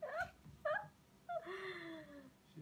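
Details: Kittens at a cat and kitten cafe in Oakland, California, playing with visitors; three short high mewing calls, the last drawn out and falling, with a woman talking softly nearby.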